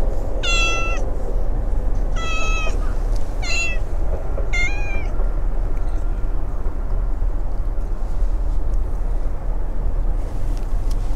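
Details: Affectionate abandoned brown tabby kitten in a park with a big pond, growing well though a bit sniffly; four bright, harmonic meows roughly every second or so, then quiet with only low wind and distant traffic.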